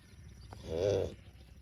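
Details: Tame cow giving a short, low, smooth moo lasting under a second, rising and falling in loudness, over quiet outdoor background noise.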